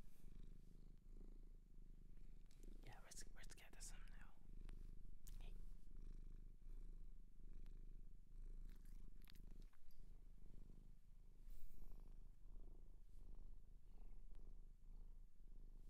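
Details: Shelter cat in Japan, now kept as a pet, purring with a steady low rumble throughout, while soft whispering and brushing or handling noises come and go.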